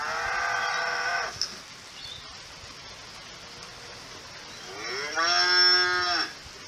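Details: Two cow moos: a held harmonic call ending after one second, a quiet hissy pause, then a second moo sweeping upward into a loud steady tone for about a second and a half.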